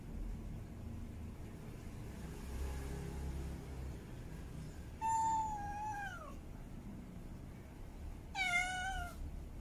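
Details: Mate-calling meows from a female cat in heat, two long cries against a noisy low rumble: the first glides downward and trails off, the second comes shorter and rises slightly, with quiet murmuring before them.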